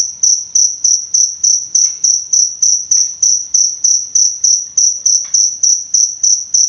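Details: Indonesian cricket recording meant as a model and therapy for songbirds: a loud, evenly spaced train of high chirps, around three each second, with a few faint soft clicks beneath.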